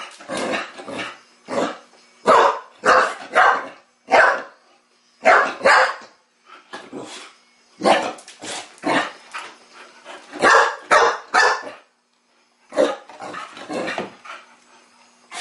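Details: Chow Chow puppy, female and teething, playing for the first time with a mechanical ball. Sharp, rough barks and yips come in quick irregular bursts, some in rapid pairs and triplets, with brief pauses between.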